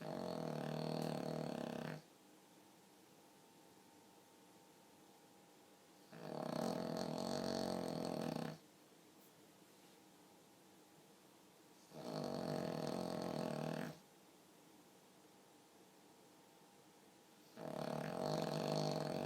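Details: Four steady, rasping snores from a sleeping pug that sounds just like a person, each about two seconds long and regularly spaced by roughly four-second silences.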